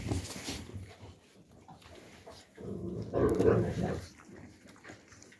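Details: Young Alabai puppies in winter 2022 giving soft, broken whimpers and whines, quiet at first, then swelling into a louder cluster of higher whining calls midway before fading, over a low rumbling background.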